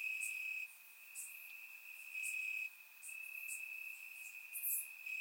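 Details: Crickets in grass on a warm Bulgarian summer night: a piercing steady trill in long stretches separated by brief dips, accompanied by soft scattered chirps from other insects nearby.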